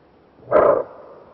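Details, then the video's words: Single loud, rough bark from a greater kudu in Kruger National Park, a clipped harsh blast of about three tenths of a second, then near silence. "Kudu Bark (Kudu Sound)"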